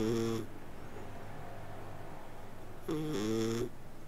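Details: Sleeping domestic cat indoors, purring and snoring: a steady low rumble throughout, with two short tonal, wheezy breath notes near the start and about three seconds in.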